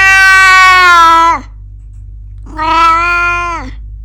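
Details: Domestic cat making noises after a garden trip: two long, clear, tonal meows, each roughly a second and a half, steady then falling at the end, with a faint low hum beneath.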